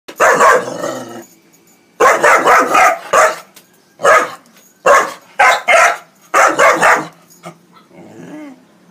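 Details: A four-month-old Belgian Malinois puppy barks loudly in bursts of two to four sharp, harsh barks separated by short pauses, ending with a softer whine.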